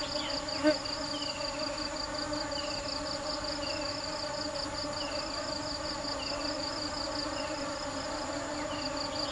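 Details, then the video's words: Steady humming drone of bees at work searching for sweet nectar, rich in even overtones, overlaid by a fast, shrill pulsing trill and a few faint, short descending chirps. "Tiếng kêu và hình ảnh những chú ong chăm chỉ tìm mật ngọt"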